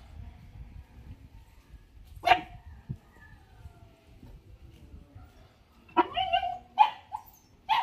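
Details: Lhasa Apso puppies, one of four being viewed while choosing a puppy, give a short yelp near two seconds, then a cluster of high, thin barks and yips toward the end, with quiet background rustling.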